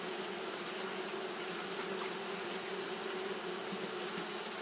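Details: Japanese honey bees keep fanning through a hot day, making a flat, sustained buzz with a low hum band and a steady airy sheen, unchanging throughout.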